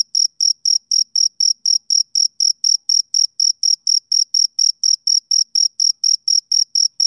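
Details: Chirping of a male cricket on summer evenings: clean, shrill pulses repeating regularly around four times a second, each short and bright, against an otherwise silent background.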